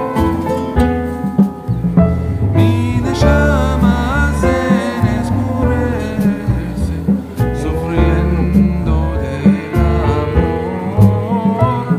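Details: Loud country-style song with acoustic guitar, bass and a singing voice throughout, with no animal sounds.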